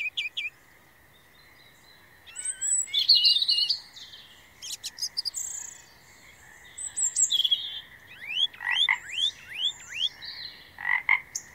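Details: Frog calling in a night chorus: quick upward-sweeping whistled notes, several in a rapid run near the end, over a steady high buzzing drone, with scattered sharp chirps from other callers.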